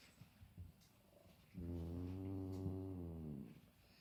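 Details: Big cat meeting his little brother for the first time: a low steady growling moan held for about two seconds, rich in deep tones, with soft background noise before and after.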